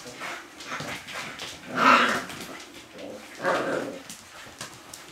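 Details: Siberian Husky puppies, six weeks old, giving two loud, harmonic yelping whines near two and three and a half seconds, with softer whimpering and faint shuffling noises between them.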